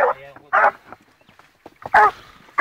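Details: Fourteen-month-old blue griffon Gora baying on a wild boar trail: several short, strongly tonal bays in quick succession, with a low human voice murmuring between them outdoors.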